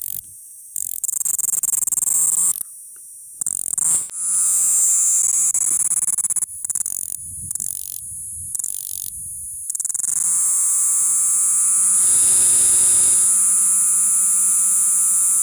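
A cricket keeps up a thin, piercing, buzzy trill high in pitch, steady for long stretches. The sound cuts out abruptly several times before resuming, and a faint low hum runs underneath.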